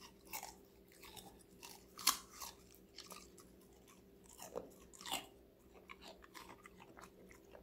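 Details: A five-month-old female Golden Retriever crunches and chews various raw vegetables with sharp, crisp bites at an irregular pace.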